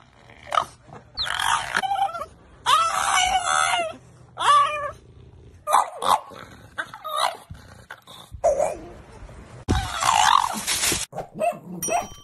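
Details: A French Bulldog "talks" nonstop during a photo shoot, making a run of whiny, yodeling grumbles and yips in short bursts.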